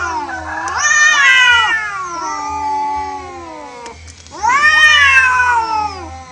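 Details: Orange cat losing a natural fight with other stray cats: loud, wavering yowls swell and sag in two long bouts, overlapping voices, a steady low hum beneath.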